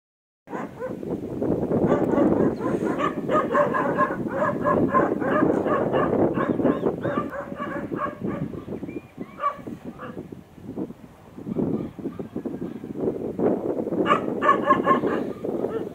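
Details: Pet dog giving a long run of irregular whining, yelping vocalizations, some tonal and rising, packed densely for about fifteen seconds with a short lull near the middle.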